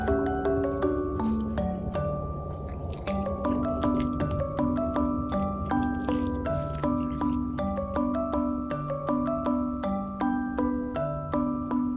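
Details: Gentle mallet-percussion music, glockenspiel and marimba tones, plays throughout, and no animal sound is heard.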